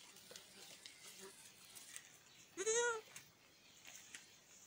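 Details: Miniature goat kids at Domaine des Tourelles, playing at dusk: one wavering, quavering bleat lasting about half a second midway, set against soft rustling and light tapping from the playing animals.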